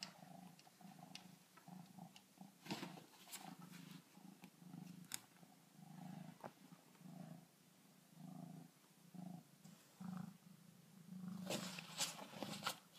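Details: Kittens purring while befriending a backyard raccoon through a glass door; a low rhythmic purr pulses in breathing cycles about every second, with occasional sharp taps and rustles.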